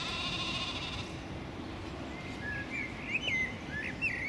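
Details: Mouflon from a herd living on the grounds of Thomayer Hospital in Krč, Prague, Czech Republic, 14 May 2017; tame animals from nearby Kunratice forest that beg under windows. One harmonic bleat lasts about a second, followed by chirping birds.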